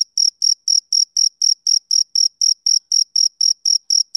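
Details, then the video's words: A male cricket calling on a summer evening: sixteen or so crisp, high-pitched chirps in quick regular succession, each a brief buzzy pulse, against complete quiet. "Cricket Chirping Sound Effect"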